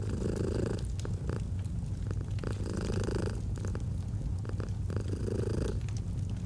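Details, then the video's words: Domestic cat purring in a deep continuous rumble, breath cycles swelling about every two seconds, with bursts of crackling and popping from a fireplace. "Purring of a Cat"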